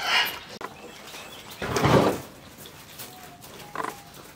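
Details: Baby goats seven to twelve days old during bottle feeding give a hoarse, broad bleat near the middle, then a short higher bleat near the end, with faint background noise.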